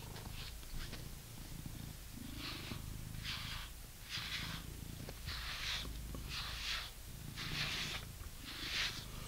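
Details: British Shorthair cat purring while being brushed indoors: a steady low rumbling purr runs underneath, broken by soft swishing brush strokes roughly once a second.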